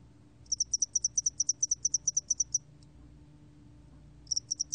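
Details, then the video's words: Spotted-wing hairy cricket, 2020 National Institute of Biological Resources recording: a longer run of about seventeen crisp, high chirping pulses, then a short silence before a new series begins; faint low background hum. "점날개털귀뚜라미, 여러번 듣기, 곤충소리"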